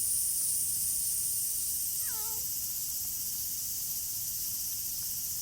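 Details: Tortoiseshell stray cat sheltering from the rain utters a single short meow with clear harmonics, falling in pitch, partway through, against a constant hiss of rain.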